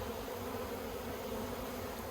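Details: Honey bee colony in the Yellow Hive in Australia, 9 October 2021, during work with plastic frames; an even, continuous buzzing drone holds steady throughout with faint background noise.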